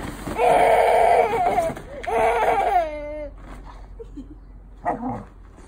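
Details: Bailey, a Golden Retriever, goes crazy over a deflated bouncy castle: loud, high, harmonic whines and yelps, one long wavering cry followed by a falling, sliding howl-like whine, then softer brief squeaks.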